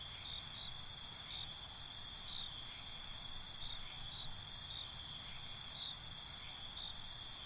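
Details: Nighttime cricket chorus: dense, continuous high-pitched trilling at several levels, with faint lower chirps returning every few seconds over a soft background hum.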